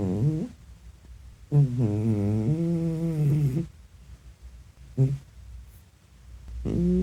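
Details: A sleeping cat snores with a sound likened to a fart: low, buzzy, rumbling breaths in bursts, a short one at the start, a long two-second wavering snore, a brief puff, then another starting, with quiet pauses between in a small room.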